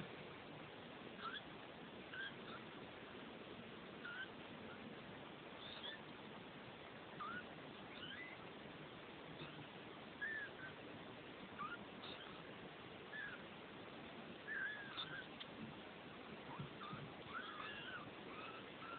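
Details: Two-week-old Neva Masquerade kittens from litter F at the De Lourdes cattery in the Czech Republic give thin, high, faint mews, short squeaks recurring every one to two seconds over a steady background hiss.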